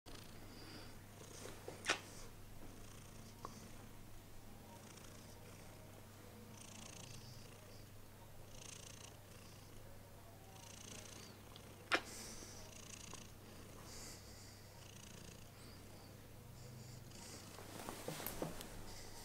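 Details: Pet cat Heliana reacting to kisses indoors: a soft, steady low purr running throughout, broken by a few faint clicks and rustles.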